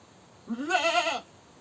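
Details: A single goat scream, a rising, quavering bleat under a second long, harsh and bright with a wobbling pitch.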